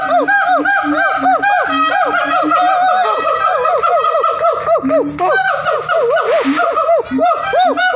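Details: Siamang calling loudly: dense, continuous rising-and-falling whooping notes in rapid overlapping arcs, several voices layered throughout, with a brief harsh burst midway.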